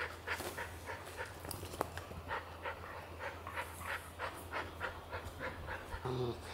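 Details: Border Collie teasing a naive Golden Retriever puppy. A dog pants in quick, rhythmic breathy bursts roughly every third of a second over a steady low hum, with a sharp click near the middle and a brief faint voice at the end.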